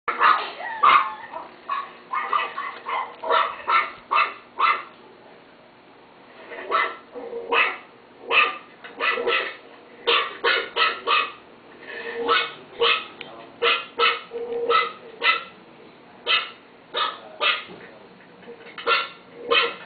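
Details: Pet chihuahua barking in rapid, uneven bursts of sharp, high yaps, often in doubles and triples separated by short pauses, with a faint steady hum in the background.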